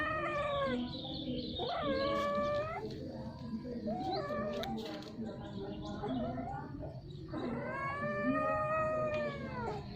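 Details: Domestic cats mating, calling repeatedly with strange sounds over a long time: drawn-out, wavering, harmonic yowls of a second or more each, rising then falling, with lower growling murmurs between them.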